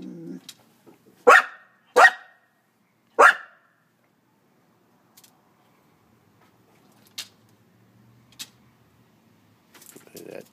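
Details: Norwegian Elkhound puppy, 14 months old, greeting its owner as she arrives home and enters the kitchen after smelling her. Three loud, harsh barks come in quick succession in the first few seconds, then near silence with faint household noises; a woman speaks beforehand.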